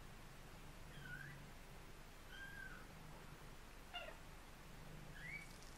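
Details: Mother domestic cat calling her kittens with an unusual "mrrr-mrrr-mrr" sound: low, rolling murmurs, each about a second long, mixed with a few short, higher chirping notes. The recording is faint, with steady room noise underneath.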